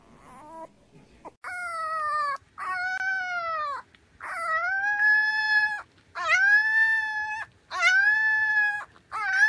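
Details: Puppy howling in long, steady, tonal notes about a second and a half each, rising slightly then holding level with rich overtones, separated by short pauses; a faint high yip at the start and no other clear sounds.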